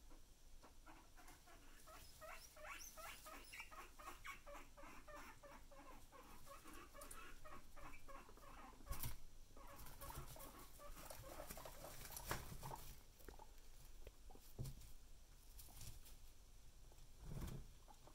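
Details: Two guinea pigs going about their business indoors, giving a run of short, evenly repeated chirps and squeaks for several seconds, then rustling and a few louder knocks.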